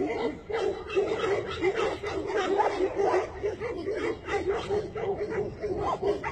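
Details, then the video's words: Tibetan Mastiff barking in a fast, steady run of short, mid-pitched barks, roughly three a second, carrying through the whole stretch with little pause. "Tibetan mastiff"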